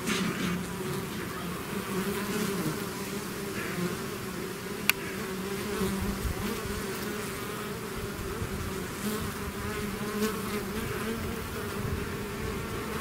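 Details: Bees swarming out of their hive make a thick, unbroken droning hum, steady in pitch, with one sharp click near the middle against the constant buzz.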